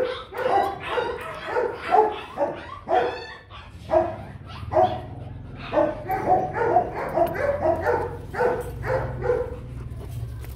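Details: Rottweiler barking in a rapid series of short harmonic barks, roughly one per second but uneven, some overlapping, with a low steady hum underneath throughout.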